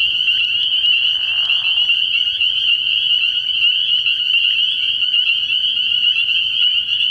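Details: Early-year night chorus of spring peepers at a frog pond: shrill, high-pitched peeps pile up into a constant ringing tone, with a short low croak near the start.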